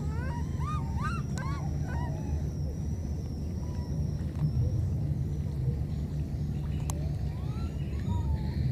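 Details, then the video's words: Two wild baby monkeys separated by a flood call to each other: clusters of short, arched, squeaky calls in the opening seconds and a few more near the end, over a steady deep rumble and a thin, constant high whine. "Calling each other, these two baby monkeys were separated because of the flood"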